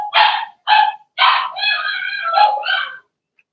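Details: Blenheim Cavalier King Charles Spaniel puppies from a litter of six, two girls and four boys, in a home puppy pen: a run of high yipping barks and whines, some notes drawn out and tonal, with short pauses between.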